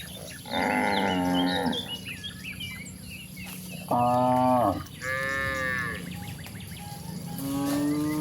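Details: Cattle roaming toward a very wide pasture: several drawn-out, harmonic moos of about a second each, one after another, with higher wavering calls mixed in and small birds chirping steadily in the background.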